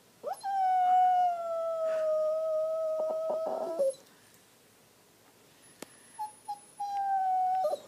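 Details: Pet dog throwing a temper tantrum after pushing his bone under the sectional sofa: long sustained whining howls, a steady tone held about three seconds ending in choppy yelps, then a pause and a second drawn-out whine.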